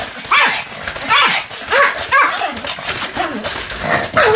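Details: Excited high-pitched barking from Sam the Pomeranian while spinning rapidly on a new mat, 24 November 2015: sharp arched yaps repeated roughly every half second, with faint human voice behind.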